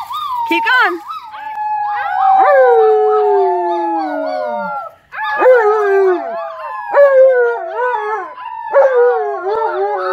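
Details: Alaskan Malamute named Tonka howling with visiting nieces, nephews and a neighbor, excited by company; long wavering howls slide and fall in pitch, overlapping voices rising and dipping, a brief pause midway before the chorus resumes.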